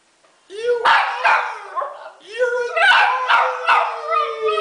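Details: Pet Italian Greyhound named Hunter singing: short yowling howls with bending pitch, several in a row, while a person talks and encourages him alongside.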